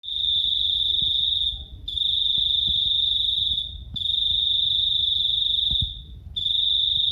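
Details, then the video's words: Cricket, described as small but very loud, giving a shrill, steady high-pitched trill in long bursts of about 1.5 seconds separated by brief pauses, with faint low background rumble. "Suara jangkrik"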